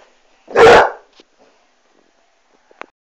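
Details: Basset Hound confronting a Dyson vacuum cleaner lets out one loud, full, drawn-out bark, followed by near silence and a few faint clicks.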